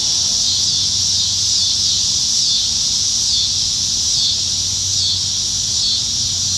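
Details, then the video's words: A Nebraska summer evening in July 2019 with many cicadas in the trees: an unbroken, shimmering high buzz that swells and eases slightly every few seconds, with nothing else prominent. "Summertime Evenings in Nebraska - Cicadas"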